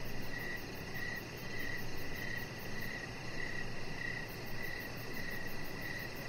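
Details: Evening crickets heard from a deck where a chihuahua puppy lies under decoration lights; a regular train of high, brief chirps, roughly one every half second, above a dull low-frequency hum.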